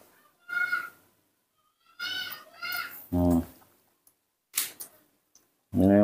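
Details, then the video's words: Baby monkey Nomi, a young female hand-raised at home, calls in the morning asking for milk: two high, clear, harmonic squeals, the second longer and doubled, followed by a person talking indoors. "the baby monkey Nomi is calling in her sweet voice asking for milk"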